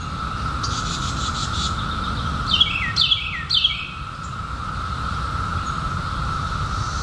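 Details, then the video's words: Chorus of periodical cicadas from the 2021 emergence after a 17-year hiding: a constant, level buzzing drone fills the background, with three swift downward bird chirps near the middle and a soft low rumble throughout. "SOUND OF CICADAS 2021"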